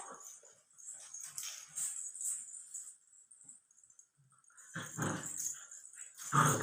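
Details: A 64-day-old Labrador Retriever puppy, indoors in a small room; after quiet scratchy stretches, rough broadband growling bursts come near the end, growing louder in the last two seconds.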